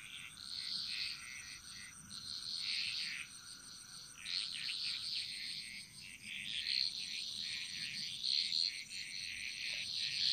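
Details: Chorus of frogs echoing through a jungle in Bali, layered high pulsed calls overlapping almost continuously, some notes doubled, over a constant thin insect drone.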